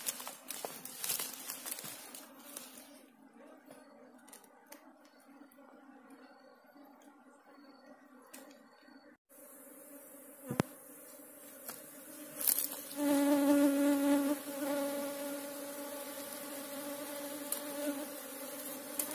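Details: Asian honey bees (Apis cerana) from a colony nesting in a hole in the ground, disturbed while the nest is dug out and taken; a steady low droning hum with stacked overtones swells louder midway, amid scraping and clicking handling noises.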